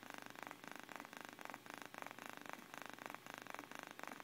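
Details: Miyuki the cat purrs in her sleep, a low rattling hum rising and falling in distinct breath-timed bursts about twice a second, each push and pull clearly separated, calm and close.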